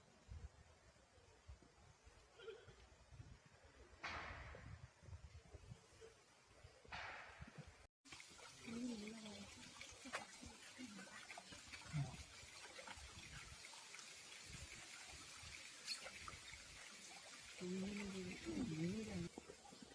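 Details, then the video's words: Fu Bao, a giant panda, recorded on March 10 after eating well and playing with a red bucket, gives a goat-like bleat. A quavering, wavering, harmonic bleat comes near the end, after trickling water-like sounds, brief voices and soft thumps. "계속되는 푸바오의 양울음소리"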